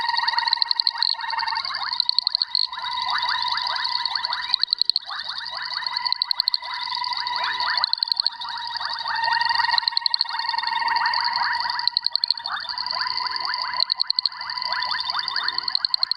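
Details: A Boettger's caco (Cacosternum boettgeri) gives its advertisement call to attract females: fast, ticking, metallic pulses that run on almost without pause.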